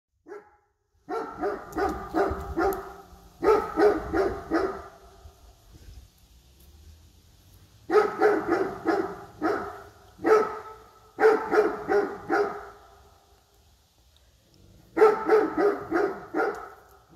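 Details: A female Great Dane, scared of a bear statue in a garden, barks at it in bursts of several loud, deep, rough woofs separated by short pauses, while her owner reassures her.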